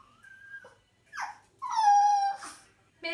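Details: Indoor Chihuahua whining anxiously when its companion dog is taken away: thin high whistled whimpers, then a longer sustained, slightly falling cry, one after another in a quiet room.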